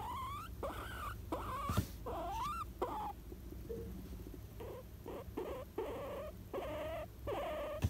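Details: Pet guinea pig around nap time giving rising, whistled squeaks, each sliding upward and repeated with short pauses, plus shorter chirps later, over a low background hum.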